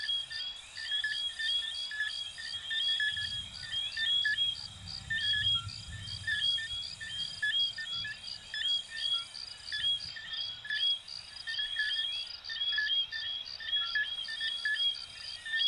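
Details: At night in Venezuela or Puerto Rico, many coquí frogs call together with quick, bright, rising chirps that overlap into a steady, high-pitched chorus, with a soft low rumble beneath in places.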